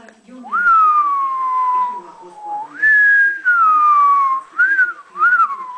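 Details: Young French Bulldog puppy, eight weeks old and female, whining: one long smooth tone sliding slowly downward for two seconds, then a higher held whine and two short rising-falling whimpers in quick succession.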